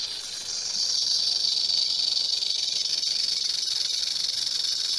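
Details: Rattlesnake shaking its rattle in a steady, high, sizzling buzz that swells during the first second and then holds unbroken for the rest of the recording.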